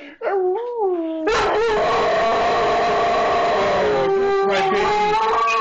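Two dogs, a German shorthaired pointer and a Jack Russell terrier, howl together in long wavering notes.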